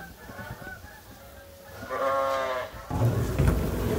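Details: Farm sheep waiting for feed during chores: one clear, wavering bleat of under a second, then loud rustling and clattering noise as feeding goes on.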